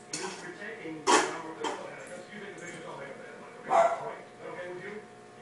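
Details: Hachi, a black ten-month-old German Shepherd, playing with a teddy bear; two sharp, loud barks burst out near one and four seconds, with softer yips between and human speech running underneath.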